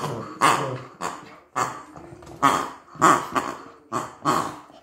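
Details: Wary of a new toy, the Maltese Cookie repeats short growly barks about twice a second, each a sharp onset that fades quickly, steady and insistent throughout.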